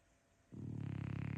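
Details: A female French Bulldog, asleep in the morning after a restless night, snores with a deep, rattling rumble that starts suddenly.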